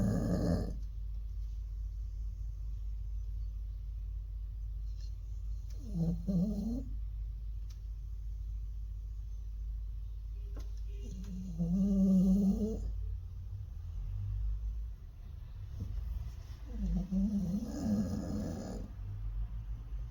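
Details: Jindo dog snoring, the snoring said to become serious with age; a series of rough, rattling snores roughly every five to six seconds over twenty seconds, the third loudest, with low indoor hum.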